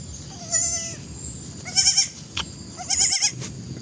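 Young goats bleat in high, wavering cries, one long and steady, then quick trembling ones.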